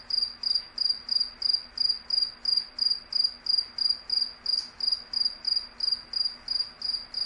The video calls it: Real Cricket Chirping Sound